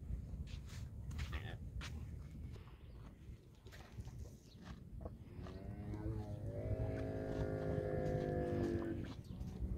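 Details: A camel gives a deep, drawn-out harmonic moan that swells over the final seconds, rising out of a rough, rumbling background with scattered clicks and knocks.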